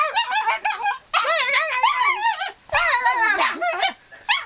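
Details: Pet dog Molly gives her peculiar noise as three bursts of wobbling, high whines that bend up and down, separated by short silences.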